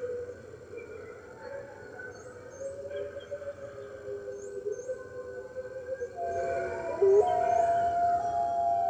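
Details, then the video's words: Red wolves at the NY Wolf Conservation Center, recorded by webcam on the morning of March 15th, 2013, joining the center's other wolves: long, sustained, wavering howls overlapping in a chorus, swelling louder near the end. "Red Wolves Howling - Early Morning"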